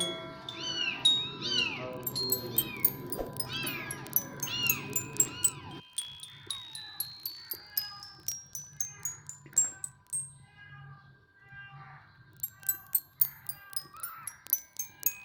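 Kittens give high, arching meows in quick bursts, backed by tinkling chime-like music.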